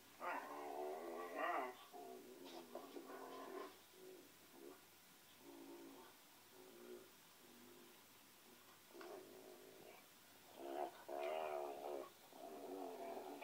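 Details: Pinscher named Ole vocalizing in a small room: drawn-out, wavering whines and howl-like notes with rich tonal bands, rising and falling in repeated phrases, louder bursts at the start and near the end.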